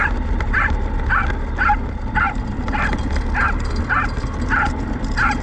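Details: Welsh Corgi named Roku, filmed during a test run of a radio-controlled car towing a field cart, gives short, high, sharp yips repeated about twice per second over a steady low rumble of motor and ground noise.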